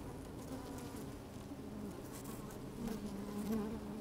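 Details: Honey bees moving about inside an opened hive on a fine, sunny day, microphone slid among them; a continuous low, even hum that swells slightly toward the end, with soft crackling movement.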